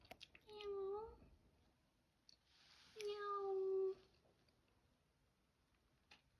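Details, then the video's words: Kitten's first meows: two drawn-out, steady, tonal cries, the second longer at nearly a second, separated by a quiet gap with faint clicks. "Kitten Waffle Lee’s first Meow"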